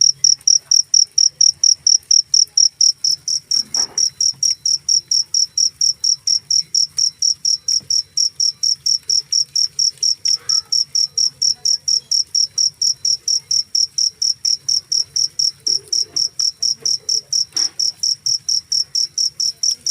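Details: Loud cricket song made of evenly spaced shrill chirps repeating rapidly for the whole stretch, steady in pitch and rhythm, over a quiet low background hum with occasional faint clicks.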